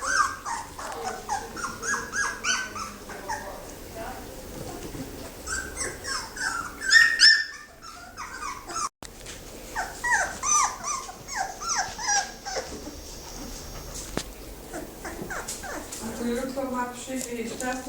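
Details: Thirteen fawn Labrador Retriever puppies, a sibling litter, squealing and whining continuously in many overlapping high yelps, with people talking in the background.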